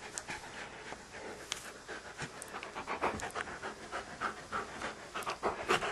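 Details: Sidney, a Standard Poodle, hesitating because he is afraid to go into the bedroom to fetch his beloved ball; soft, breathy, rapid panting, roughly three to four puffs a second, fairly uneven, quiet indoor setting.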